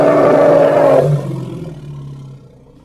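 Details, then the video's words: Hippopotamus from Congo giving a loud, harsh, harmonic roar lasting about one second, which then drops into a quieter, lower rumbling tail that fades over the next two seconds. "Hippo (Congo) Sounds"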